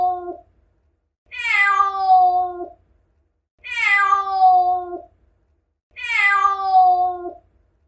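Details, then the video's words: Domestic cat meows gathered to attract cats: three loud meows about two and a half seconds apart, each opening with a harsh, raspy burst before settling into a steady, even tone, over a faint low hum. "Meow.Attract cats, Sounds cats like.猫が反応するなき声。必ず反応する猫の鳴き声集。"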